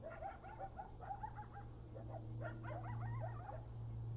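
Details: Coyotes chorus at sunrise and moonset in November 2019 at Desert Hot Springs, California: quavering, wavering yips and short howls that rise and fall over a steady low hum.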